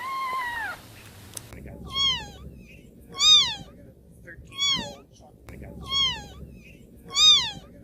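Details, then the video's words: Newborn baby kittens meowing: a brief lower descending cry opens, then thin, high, arched meows repeat about every 1.3 seconds. A sharp click sounds early on, over a low background hum. "New born baby kittens meowing"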